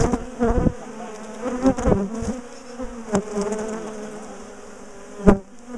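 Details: Humming of a large top bar hive colony being split and relocated from a garden after ambushing its owners; a steady low buzz continues under loud knocks near the start and a sharp crack near the end.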